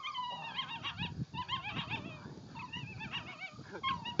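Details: A ten-week-old puppy whining continuously in high, wavering, squeaky tones, with a few short yelps, over a low background rumble.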